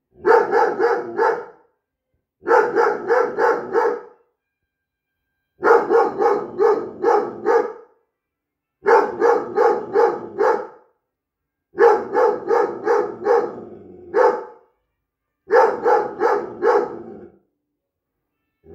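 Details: An 8-month-old Briard puppy, a natural guard dog, barks in quick bursts of five or six deep, harsh barks, pausing briefly between bursts.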